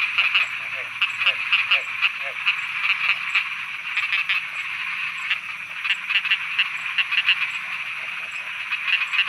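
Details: Thai frogs croaking at night: rapid clicking croaks stand out over a constant chorus, coming in quick runs of sharp pulses every second or so, with a steady high ticking and faint low rumble beneath.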